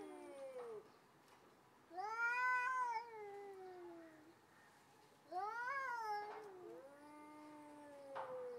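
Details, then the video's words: Two stray cats threatening each other before a fight, yelling outdoors. Long drawn-out yowls with rich harmonics, first rising then sliding down, two main wails about three seconds apart with quieter moaning between. "Moment before Angry Cats Start Fighting lol - Real Cat Fight with Sound"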